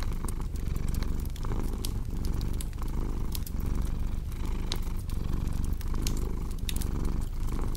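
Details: Low rumbling cat purr beneath dense fireplace crackling, breath-by-breath swells faintly marked while sharp pops and snaps of burning wood stand out.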